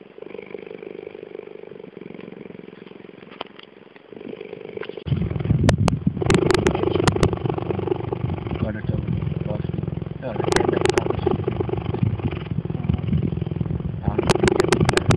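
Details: Two cheetahs purring, a deep, steady engine-like rumble that starts after a few quiet seconds.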